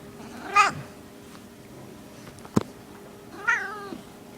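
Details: Small female cat Skittle, in heat, makes two brief bright mews about three seconds apart, each sliding down in pitch, with a single sharp click between them and a low hum throughout.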